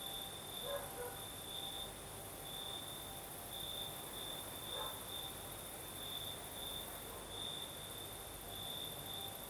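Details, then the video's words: Night chorus of crickets in southern Crimea with a night breeze: an unbroken high trill pulsing in bright beats, with a few faint lower chirps near the start and a soft background hiss. "Сверчки поют"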